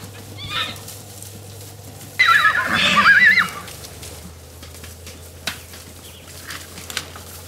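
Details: Wild horses in Arizona, a band of bachelor stallions challenging other stallions; a shrill, quavering whinny of about a second rises out of quiet background hum, with faint earlier and later calls and small knocks.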